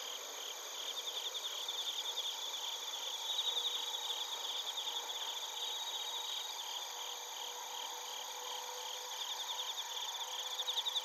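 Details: Crickets, including bell crickets and field crickets, singing in Narita, Chiba Prefecture, Japan, recorded using a TASCAM Portacapture X8. Rapid, high pulsed chirps repeat throughout against a steady ringing chorus, with a faint low steady tone underneath.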